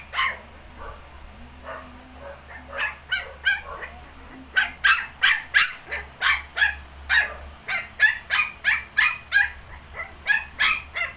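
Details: ['Shih Tzu with 19-day-old puppies: sharp, high yapping barks in quick runs of about three per second, starting softly and growing louder, with a steady low hum underneath.']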